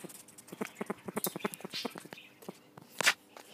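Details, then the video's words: Juvenile bat approached up close, making monkey-like chuckling noises: a fast run of short clicky pulses, roughly six to eight per second, ending with a louder burst, with a person talking softly nearby. "Juvenile bat chuckles like a monkey"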